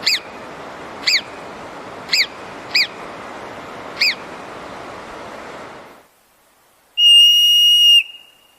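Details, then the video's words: Marmot scream: five short, sharp whistles, each rising then falling, spaced about a second apart over steady background hiss, followed after a silence by one long, level, piercing whistle lasting about a second. "Marmot Scream"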